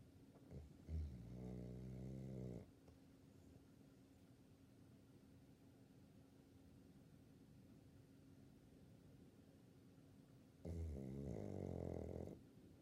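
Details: Labrador Retriever, a 16-year-old female named El, snoring while asleep: two long, rasping, low harmonic snores, one at the start and one near the end, separated by about eight seconds of quiet with a faint steady hum.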